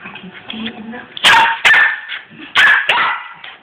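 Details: Six-month-old Cairn terrier crossed with a West Highland white terrier going a little mad: three sharp, loud barks with bright whining overtones after a stretch of low murmuring voices.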